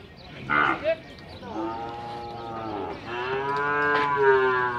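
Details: At a cattle fair in Tabira, Pernambuco, Brazil, a Nelore animal gives a long, loud moo rising and holding steady, preceded by short bumps of noise, with faint fair bustle behind.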